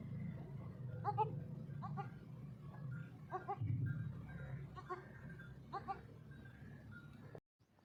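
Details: Newborn goat kids, one to six days old, bleat in short harmonic cries about once a second, with a low steady rumble of background noise beneath.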